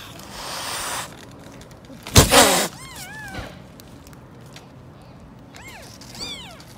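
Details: Angry mother cat guarding her kittens among street-living stray cats; a harsh noisy burst, then two short groups of wavering, rising-and-falling meows, with rustling background noise between.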